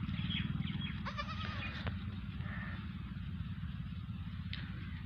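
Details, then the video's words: Teddy goat that has just given birth to twins, one male and one female; a short wavering bleat near the start amid steady low engine-like hum and scattered clicks. "اپنی ایک اور ٹیڈی بکری نے دو بچے دیے ھیں"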